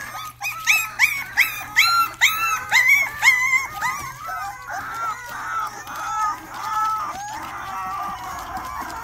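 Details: Rottweiler puppy giving its first barks: high, yelping barks with clear overtones, repeated about every half second for four seconds, then fading into softer, wavering whines and whimpers, with faint background sound.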